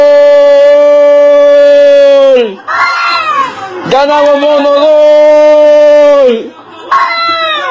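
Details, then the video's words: Domestic cat giving two long, loud, drawn-out meows, each held steady for about two to three seconds before sliding downward at the end, followed by the start of a third. "Funny Cats and Kittens Meowing"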